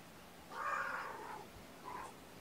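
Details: Domestic cat indoors among sleepy kittens waking gently from a nap, snuggled with a person on weigh-in night: one drawn-out mid-pitched meow, rising then falling, followed about a second later by a shorter, softer meow, over a quiet room.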